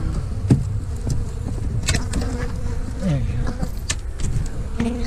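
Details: Honey bee colony being removed from inside a house wall, boards pried off the nest, about a year old; dense low steady buzzing of many bees under sharp knocks and scraping from the work, with people talking nearby.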